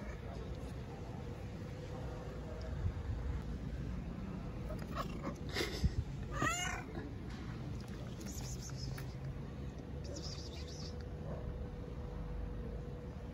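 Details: Stray tabby cat living on the street in Istanbul, wanting affection and food; a few short meows rising and falling near the middle, amid a person speaking Turkish and a steady low background hum.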